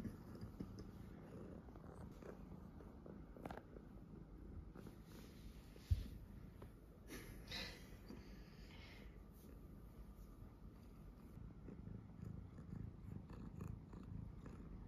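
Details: Domestic tuxedo cat purring indoors while its nails are cut, showing calm, well-mannered behaviour; a soft, continuous low rumble runs through the clip with faint handling noises and a brief click.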